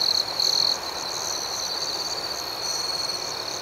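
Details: Crickets chirping at night in a relaxation soundscape: a steady high-pitched trill with louder pulsed bursts near the start and a continuous shimmering chorus throughout, over a soft hiss.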